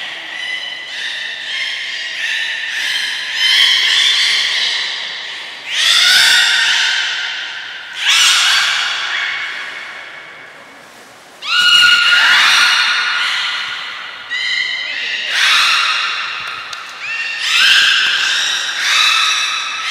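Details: Captive belugas Gray, Nana and Mirai during a training session at Port of Nagoya Public Aquarium on 6 August 2023: a dense run of bright, harmonic squeals and whistles, many sliding downward, in overlapping bursts every one to two seconds.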